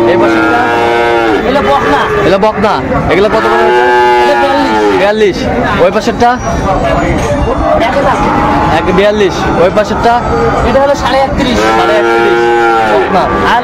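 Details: Bull calves and other cattle in Shariatpur, Bangladesh, mooing again and again. Several long, rich, nasal moos overlap across the stretch, with constant crowd chatter and talk behind them.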